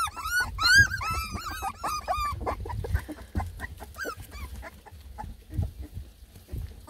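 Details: Beagle puppies from a litter of ten, lemon and tricolor, complaining as they try food for the first time; a burst of high arching whimpers early, fading to softer scattered whines and rustling.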